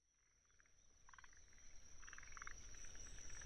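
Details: Forest green tree frog calling in a wetland at Tsuruoka, Japan, on 19 June 2021, recorded with a ZOOM F6 and a paired Sennheiser MKH 8020 Jecklin disk: clustered bursts of short, rapid clucking notes, over a steady high Kinhibari cricket trill and low rumble.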